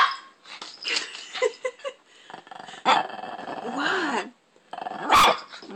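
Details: Tobee, a pet Shih Tzu, holding the TV remote hostage indoors, growls in rough, noisy bursts that rise and fall, with a human voice talking over the dog through much of the stretch.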